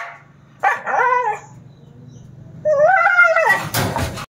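A Siberian husky gives two short, tuneful howls that rise and then fall away.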